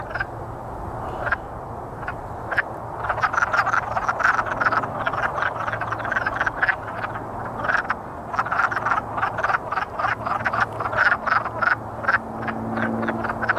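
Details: Courting wood frogs calling in a chorus: rapid clucking croaks that build in density after a sparse start, with a faint low hum beneath.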